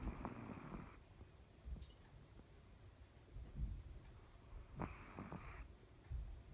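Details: A sleeping dog snoring so soundly that it had to have its feet fiddled with to wake; low, soft rumbling breaths about every two seconds, with brief rustling noise bursts near the start and around the fifth second.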